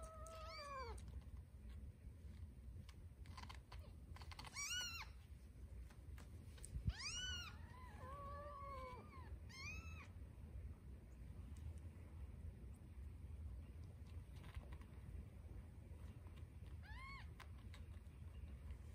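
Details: Nursing Scottish Fold kittens squabble for a nipple, a tortie kitten holding her place; short, sharp, upward-bent mews come in scattered bursts, with a wavering call near the middle and a low background hum.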